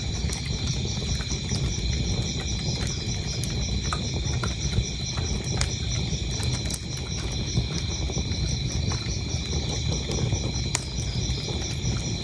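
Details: Crickets chirping in a steady, high, pulsing trill that runs unbroken through the whole stretch, layered over the loud snapping and crackling of a burning fireplace.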